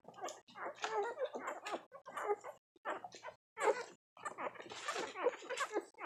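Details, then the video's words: Nursing puppies just one week old whimper and squeal in short bursts while feeding hungrily indoors, high wavering cries broken by brief pauses, with soft sucking and rustling between. "Cute nursing puppies making sounds. Just one week old!"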